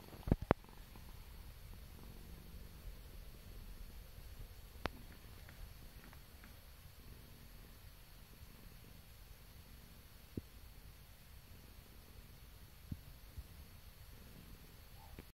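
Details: A relaxing British Shorthair cat purrs steadily, a low continuous rumble with a few faint clicks.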